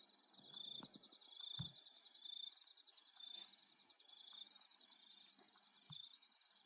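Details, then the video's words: Insects calling at night in Australia: a steady high shimmering buzz with short sharp chirps repeating about once a second, plus a few faint low thuds in the background. "Free Australian Nighttime Insect Sound Effect"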